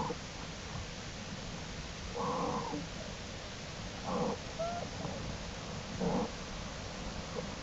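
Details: American black bear cubs following their mother outside the den and exploring, April 2, 2012: three short, harmonic, mewling calls about two seconds apart over a steady low rumble.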